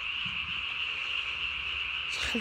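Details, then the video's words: Japanese tree frog at night on 3 May 2020, throat sac swollen nearly to body size while calling; a constant shrill, buzzing trill holds steady, with a brief knock near the end. "밤에 우는 청개구리 울음판이 몸통 만큼 크네요?"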